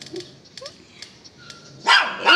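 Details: Belgian Malinois indoors: a quiet stretch with faint clicks and a short tone, then two loud, sharp barks close together near the end.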